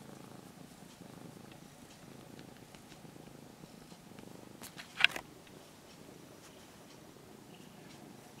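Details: Brown-and-white former stray kitten, cared for about six months near a home and now nearly a house cat, purring softly while stroked; a low, steady rumbling hum, broken once by a sharp click or scrape midway.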